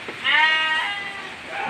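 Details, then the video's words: Goat calling for food in heavy rain, one long quavering bleat lasting about a second, strong and nasal, fading at the end, with faint background noise. "kambing lapar sangat sampai menjerit meminta makanan"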